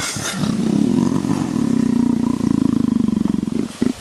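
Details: Purring leopard being scratched behind the ear, asking for caresses like a pet cat: a continuous low rumble that turns into distinct rapid pulses toward the end, closing with a couple of short huffs.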